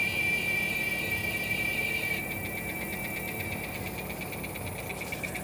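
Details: Giant cicada (Quesada gigas), North America's second largest cicada, heard after rain on August 3rd: a sustained high-pitched tonal buzz, strongest at first, then softer with rapid pulsing, against steady background hiss.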